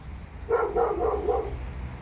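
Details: Dog barking inside an apartment building: four muffled, mid-pitched barks in quick succession about a quarter second apart, over a steady low mechanical hum.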